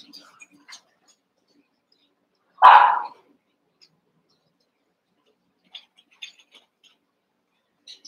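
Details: Young Cavalier King Charles Spaniel puppies, eight together in an indoor pen, wrestling and playing: one short, sharp bark rings out, followed by long quiet stretches broken only by faint scattered clicks and soft scuffles.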